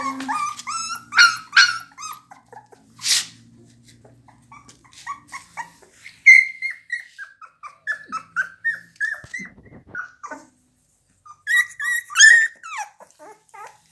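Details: Pit Bulls whining in thin, high, wavering whimpers that rise and fall, repeated in short bursts with pauses, plus one harsh broadband burst early on.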